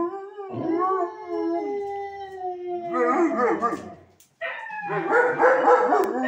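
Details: Domestic dog howling back at other dogs: a long smooth howl slowly sliding lower, followed by wavering, yodel-like howls after a short break, with a faint low hum underneath.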